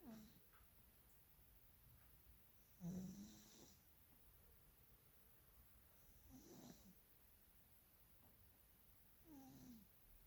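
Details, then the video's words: Maine Coon cat snoring in its sleep while dreaming: low, rasping breaths recurring roughly every three seconds, the second loudest, the rest fainter, against steady quiet background hiss. "Maine Coon Katze schnarcht und träumt."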